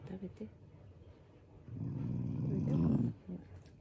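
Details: Shiba Inu growling affectionately, not in anger, as a loving family dog: a low, rumbling, steady growl of about a second and a half, with a person's voice talking softly before and after.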